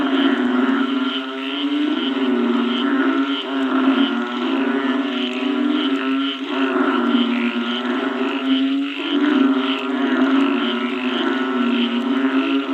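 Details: Frogs calling after rain: a dense, unbroken chorus of low, throaty croaks stacked with buzzy overtones, many voices overlapping into a steady drone with rhythmic pulsing swells, no other sounds clear.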